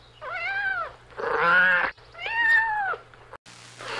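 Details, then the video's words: Three quick meows from kittens playing outside on the grass, bent and arching in pitch, the middle one rougher, over a faint low hum. "Beautiful Kittens Playing Outside – Funny Cat Sounds"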